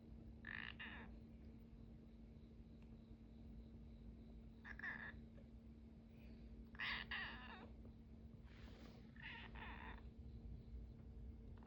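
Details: A very timid kitten; five short, high meows spaced a few seconds apart over a steady low electrical hum indoors.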